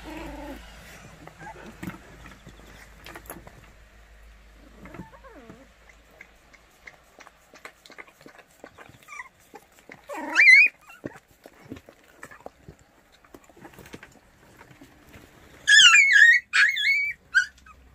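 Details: White Baekgu puppies from Cheongdo, Korea: after a long stretch of faint rustling and soft scattered sounds, a sharp whining yelp comes near the middle, then a louder cluster of high, wavering squeals near the end.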